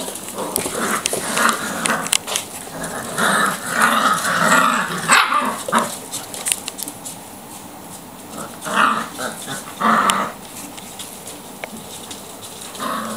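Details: Five-week-old Labrador puppies, two black and four chocolate, running riot in a kitchen; bursts of high yips, growls and short barks cluster in the first five seconds and again near ten seconds, with paws scrabbling on the floor between outbursts.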